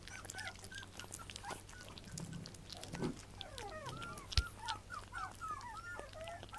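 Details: Puppy whimpers: thin, bending squeals come in clusters, crowding together toward the end, with a few low grunting sounds and a sharp knock over a constant low hum.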